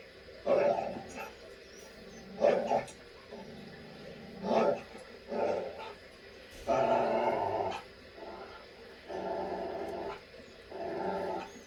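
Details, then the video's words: Dog barking sounds played back to miniature schnauzer puppies on the day a new, easier step is added; repeated short barks in bursts every one to two seconds, with some room noise. "and also they get the dog barking sounds today"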